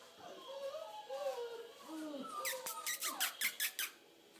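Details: Mavis, a six-week-old Bernedoodle puppy coaxed indoors to say Merry Christmas, gives wavering, sliding whines that rise and fall, then quick clicking taps. A person talks softly nearby.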